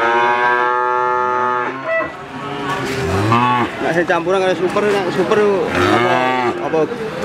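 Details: Crossbred Simmental calf calling: a long steady moo, a brief pause, then a run of short, arching bawls repeated in quick succession.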